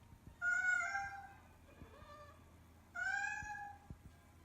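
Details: Domestic cat meowing indoors. Two clear, bright meows about two and a half seconds apart, each steady and then slightly falling, with a softer, shorter mew between them. A few faint clicks can be heard in a quiet room.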